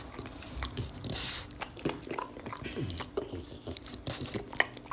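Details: French Bulldog Oleg eating string beans indoors: steady crunching and wet chewing with irregular bites throughout.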